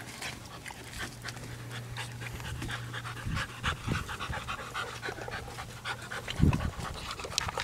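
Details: Ambullneo Mastiff puppies after a workout, drinking water in the shade; soft rhythmic panting breaths with lapping and clicking sounds, a steady low hum in the background.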